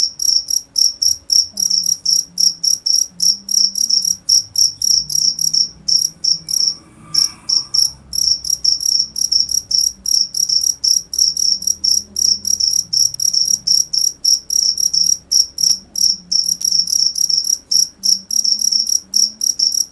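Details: Shrill cricket chirps repeat quickly and steadily, a short gap and faint mid-pitched noise midway, then the same rapid high pulses continue over a low hum.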